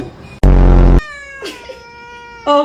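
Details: A clingy pet cat gives a loud, harsh burst of a cry, then a long, clear, slightly falling meow, ending with a brief sharp yowl.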